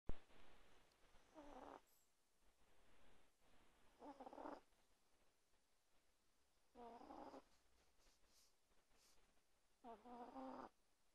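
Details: Small chihuahua weighing 1.2 kg sleeping under a blanket at night beside a person, snoring loudly; four separate drawn-out breaths, each a rasping, buzzy rumble about half a second to a second long, spaced roughly three seconds apart.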